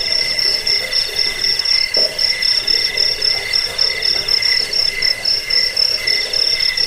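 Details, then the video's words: Crickets, offered as a rat deterrent, sleep aid and songbird tutoring track, keep up dense, high pulsed chirping. A bright steady band sits high, with beaded pulses lower down, repeating several times a second and overlapping from more than one caller. "Suara jangkik"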